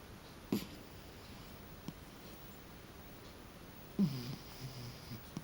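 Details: A cat sleeping on his back snores indoors: two short, low, rumbling snorts about three and a half seconds apart, each trailed by a soft breathy hiss, in an otherwise quiet room.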